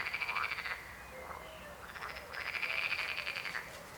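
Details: Frog chorus with rapid buzzing, pulsed croaks, a loud burst at the start, a quieter stretch with scattered softer calls, then another long rattling croak building to the end.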